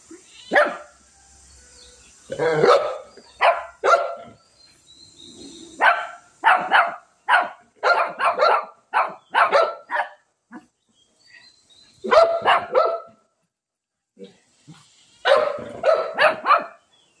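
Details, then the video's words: Shih Tzu in a fight with a cat, barking in rapid bursts of short harsh yaps, several clusters separated by brief pauses, with scuffling and low growly sounds in between. "shih tzu and cat fight"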